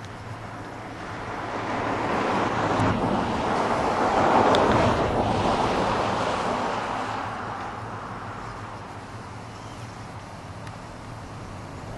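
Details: Heavy wind buffets the microphone in a steady, swelling roar, with no animal calls audible.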